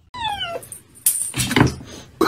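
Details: Domestic cat in a compilation of funny cat moments: a short descending meow with clear stacked harmonics sliding downward over about half a second, followed by clattering, rustling household noise and bursts of music.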